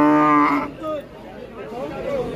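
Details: At a Qurbani cattle market in 2024, a head of cattle gives a loud, sustained low moo lasting under a second, followed by people talking amid the bustle of the market.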